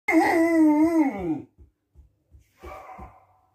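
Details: A Cocker Spaniel playing with its ball and pretending to be a fierce dog that won't give it up gives a drawn-out, moaning growl that slides downward, then a rougher grumble.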